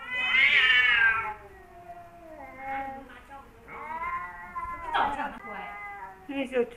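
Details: Caterwauling between two rival male cats, Kaopat, who wears a blue collar, and Ronja, a formerly wild cat: a loud, high, rising-then-falling wail opens, then lower, wavering moans and sharp yowls follow, with some human speech.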